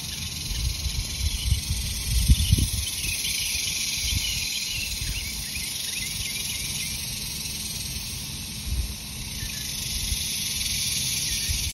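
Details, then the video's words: Cicadas singing in a rural countryside setting: a steady, high, hissing drone holds throughout, with scattered short bird chirps above it and low rumbling wind or handling noise, loudest around the second and ninth seconds. "ASMR Cicadas and birds. Country sounds"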